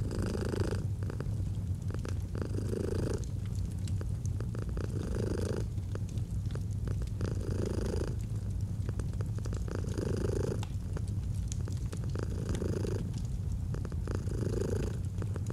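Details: Relaxed domestic cat purring in a soft pulsing rumble, each swell a second or two apart, accompanied by the crackle and pop of a burning fireplace.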